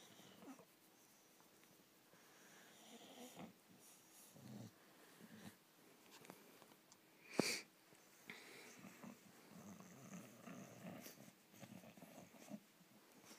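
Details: A male English Bulldog getting a favourite ear rub at bedtime, seemingly blissful, snorts and wheezes softly, with one sharp squeaky snort partway through.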